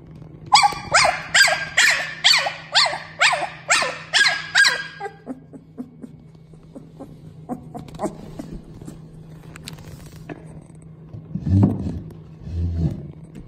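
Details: Dog giving a fast even series of about nine strong barks in the first five seconds, then quieter scattered sounds and a couple of low thuds over a constant background hum.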